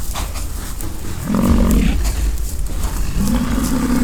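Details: American bison fighting during the rutting season on a ranch near the Peace River, Fort St. John, British Columbia, Canada; two deep, droning roars, the second rising and longer, over heavy low rumbling and wind noise.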